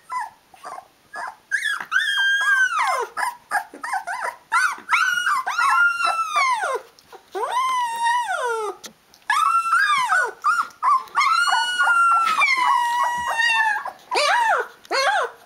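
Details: Rhodesian Ridgeback puppies from the D-Litter, aged 16 days, calling their mother for feeding: long drawn-out arched whines, rising then sliding down, some held over a second, between short squeaks.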